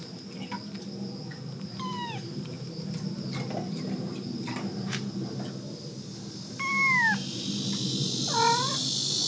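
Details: A one-month-old kitten with its mother cat at a rural house in Korea, early in the morning; several thin high descending meows, the last ones louder and sweeping downward, over steady insect chirring and background hiss.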